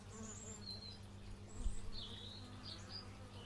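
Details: Bees buzzing outdoors, captured in stereo with an x/y microphone: a steady low droning hum with layered tones, a soft thump near the middle, and brief high bird chirps scattered above.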